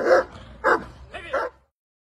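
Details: German Shepherd Dog on guard gives three separate gruff barks, spaced about half a second apart, the last one softer and shorter, then silence.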